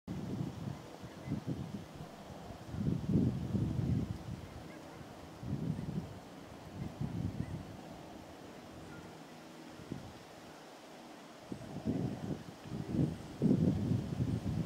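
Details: On 10 October 2010 at Steigerwald Lake National Wildlife Refuge, Washington, USA, an American bullfrog gives deep, droning low croaks in uneven bursts over a steady background rumble.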